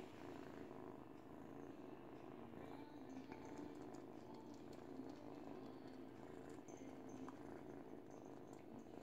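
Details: Continuous low purring from an 8-week-old kitten chewing and teething on a baby blanket, a soft pulsing rumble lasting the whole stretch with faint rustling above it.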